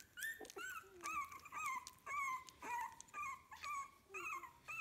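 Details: Puppies 15 days old from a kennel litter whine repeatedly indoors, each cry a clear high, slightly falling tone, about two per second, with soft shuffling between calls.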